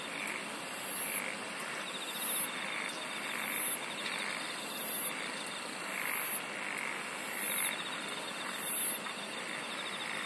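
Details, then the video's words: Singing insects in a continuous chorus. Sharp, high-pitched bursts repeat about once a second, layered over a dense hiss, a faint pulsed trill and lower rounded calls that could be frogs. "SINGING OF INSECTS"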